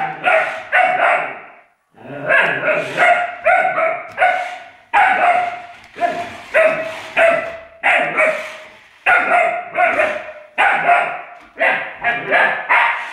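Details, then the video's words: Young Alaskan Malamute barking at an electric car: a long run of loud, ringing barks, mostly in quick pairs or triplets, with one brief pause early and the remainder nearly continuous. "Malamute puppy and electric car"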